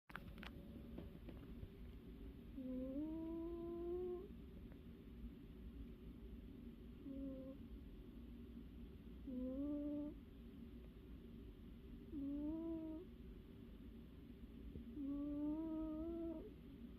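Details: A sleeping domestic cat, said to be happily dreaming, snores indoors: nasal, whistly, slightly rising tonal breaths about a second long, repeated every three seconds or so over a steady low room hum.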